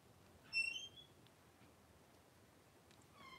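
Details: Blenheim Cavalier King Charles Spaniel puppies, five littermates aged three weeks, playing and wrestling in an indoor pen; a thin, high squeal near the start, then quiet, then a second high-pitched squeal at the end.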